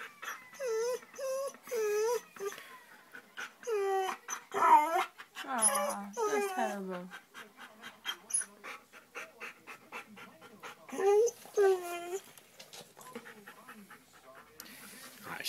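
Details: A dog whines and cries because another animal will not come out from under the bed: high, wavering whimpers with rising-falling pitch, in short bursts and longer drawn-out cries, while a person speaks to it at times.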